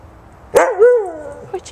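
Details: A single sharp, loud bark with a bending harmonic tail during a first snowy meeting, Christmas 2010, between Buddy, a husky mix, and Lucy, a 10-week-old American Eskimo puppy, as they chase each other.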